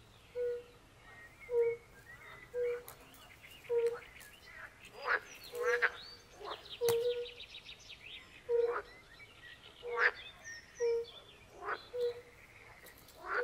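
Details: A chorus of European fire-bellied toads at a forest pond gives soft, hollow single notes roughly every second. Louder pool frogs break in with harsh, buzzy croaks and quick rattles, and brief high chirps sound in the background.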